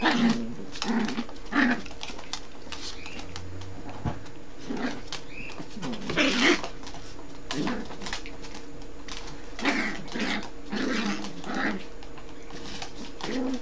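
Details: A Yorkshire terrier mother gives short, sharp, high barks and growly yaps at her son, a Yorkshire terrier puppy, as if scolding him for bad behaviour, though the two are really playing.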